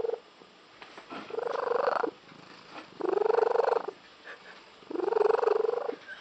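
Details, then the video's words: Pet cat, female, purring in an unusual way her owners say resembles a tree frog; loud, rattling pulsed bursts just under a second long, repeated about every one and a half seconds with a rising tonal edge. "the cat with the unusual purr"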